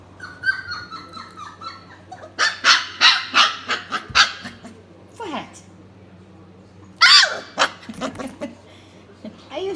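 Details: Litter of four-week-old F1B doodle pups: a high wavering whine slides downward, followed by a string of sharp, noisy yelps about twice per second and scattered squeaks. A steady electrical hum runs underneath.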